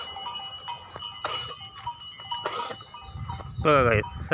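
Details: Goat heading out to graze in a garden after many days, giving one loud wavering harmonic bleat near the end, after bursts of human talk, with steady bell-like ringing tones throughout.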